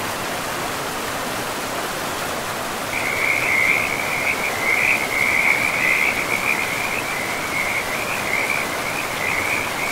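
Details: Frog calling beside a river in a pristine forest: a high, rapid pulsing trill begins about three seconds in and runs unbroken to the end, uneven in loudness, over a constant rushing of flowing water.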